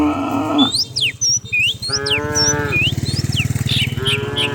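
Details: Cows running down a rural hillside in the morning as dozens are herded; short moos start and end the stretch around a steadier, nasal moo, over a low throbbing rumble and bright bird chirps.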